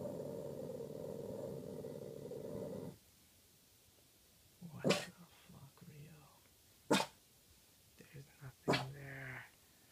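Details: Boston terrier in the middle of the night: about three seconds of low, steady rumbling growl, then quiet broken by several sharp snorting or sneezing bursts and a short harmonic whine near the end.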